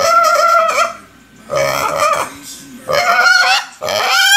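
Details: Hungry piglet kept as a pet gives long, loud, high squeals, four strained cries in quick succession, each steady in pitch with rough edges, separated by brief quieter gaps.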